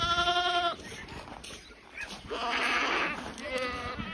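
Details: Boer goat on a farm, giving a wavering, nasal bleat with strong harmonics for under a second at the start, a rough noisy stretch in the middle, then a second shorter bleat near the end.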